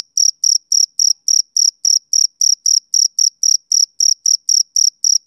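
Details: A male cricket calling on a summer evening: sharp, high chirps repeating at about three and a half per second, slightly uneven spacing, against complete quiet.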